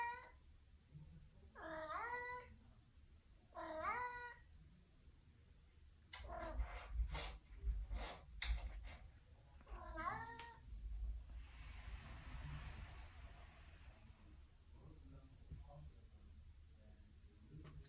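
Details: A Maine Coon cat in a bathroom gives repeated drawn-out meows, rising then falling, amid household thumps and clatter.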